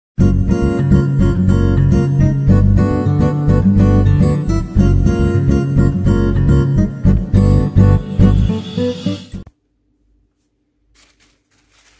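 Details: Loud strummed guitar music plays for about nine seconds, then stops abruptly into near silence broken by faint clicks, with no animal voice heard.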